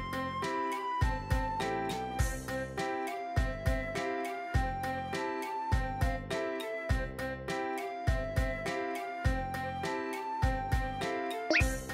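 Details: Bright, cheerful plucked-instrument background music with a steady beat, with no animal voice heard.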